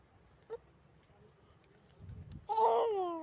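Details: Young goat kid drinking milk from a bottle: a quiet stretch with a few soft knocks and rustles, then a loud, wavering, nasal bleat that holds for under a second near the end.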